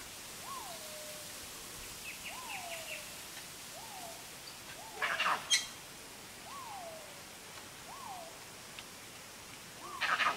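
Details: A dusky leaf monkey (Trachypithecus obscurus) gives short, falling whistled calls, repeated every second or two.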